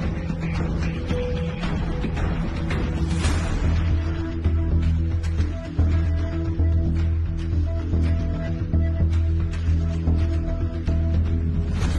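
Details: Loud, dense music with a heavy low drone and rhythmic hits fills the whole stretch, with no animal sounds.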